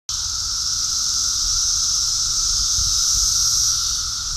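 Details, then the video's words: Cicadas during a mass emergence in New Jersey, their massed song a continuous, loud, droning high hiss with a steady lower buzzing band, swelling slightly midway and holding unbroken throughout, with no other clear sounds. "Cicada invasion and song"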